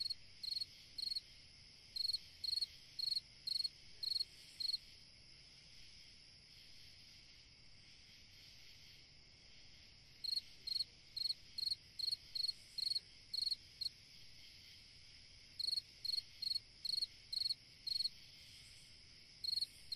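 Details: Cricket singing on a summer night: bright high chirps in bursts of several pulses, grouped with pauses of a few seconds, over a steady faint high hum and a quiet background.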